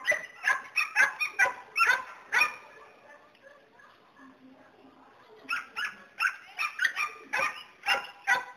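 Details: Border Collie barking in quick bursts, about two to three sharp, bright barks a second, then a few seconds of low whimpering before another fast series of barks.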